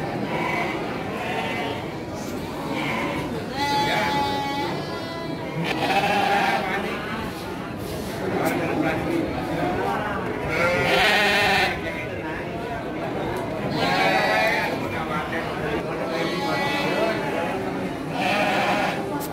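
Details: Ewes of the Garut sheep breed at the Andir market, Indonesia, 5 April 2021; repeated loud, quavering bleats from many animals come every couple of seconds amid constant chatter of buyers and sellers.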